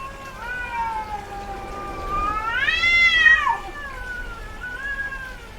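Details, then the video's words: Domestic female cat in heat, which tends to vocalize more: a long moaning meow swelling to a loud, high, rising-then-falling wail near the middle, followed by a softer wavering tail. "SOM de GATO no cio - Barulho de GATA no cio Gatos miando"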